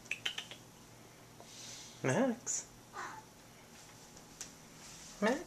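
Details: Nine-month-old neutered blue point Siamese cat, male, trying to mount a doll indoors. Two short, throaty yowling meows, each rising then falling in pitch, about three seconds apart. Light clicks and clatter can be heard between them.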